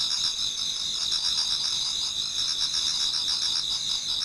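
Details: A Japanese garden's autumn insects sing near dawn: a steady, bright, high-pitched wall of trilling from many callers, evenly sustained with slight pulsing.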